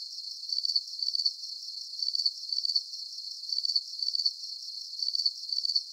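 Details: Steady night chorus of crickets: bright, high trilled chirps grouped in twos, returning roughly every one and a half seconds, with a soft continuous hiss of distant chirping beneath and no other sounds.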